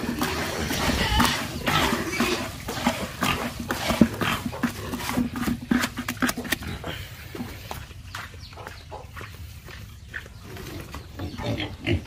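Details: Pigs on a farm giving a loose series of rough, irregular grunts and snorts, loud at first and then fading into quieter scattered noises.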